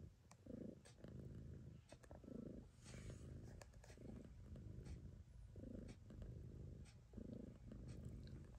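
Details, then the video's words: Choo-Choo Kitty, a nursing mother cat, keeps up a low throbbing purr while her babies feed, rhythmic loud-soft cycles under scattered clicking and a brief hiss of movement. "Choo-Choo Kitty purrs while feeding her babies"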